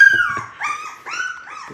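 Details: Morning wake-up of a litter of six young Labrador Retriever puppies with their mother, in autumn. Clear, drawn-out whines slide down and then rise again, with about four separate cries, plus some soft shuffling at the start.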